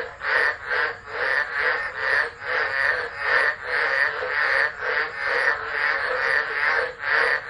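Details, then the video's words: Tropical frog chorus in a tropical storm, Driver, Northern Territory, Australia, December 2013, phone recording; loud continuous croaking with irregular swells roughly twice a second, raspy mid-pitched pulses and a thin high hum. "Tropical Storm Frogs Singing"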